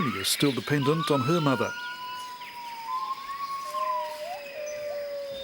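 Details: Jarunee, a singing gibbon, announcing territory: after a man's voice, long clear whistled notes, some gently rising and some falling, drawn out over a soft forest background with faint birds.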